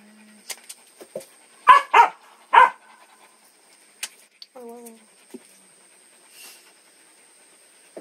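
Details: Three loud barks from a dog come in quick succession, followed by a brief whine and scattered smaller sounds, with a human voice briefly heard in the background.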